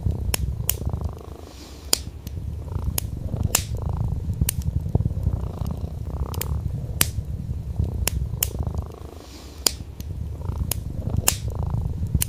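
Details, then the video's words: Gentle purring from a sleeping orange tabby house cat on a wool rug by a flickering fireplace: an even, low-pitched rumble in breath-length swells, fading briefly around 9 seconds, amid frequent crackles from the burning logs. "Calming Cat Purr + Fireplace Sounds"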